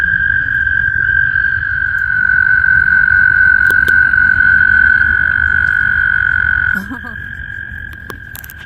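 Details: Spring vernal pond where frogs gather to mate: a continuous high-pitched trilling drone runs for most of the recording, then fades sharply near the end as a brief human voice and clicks break in.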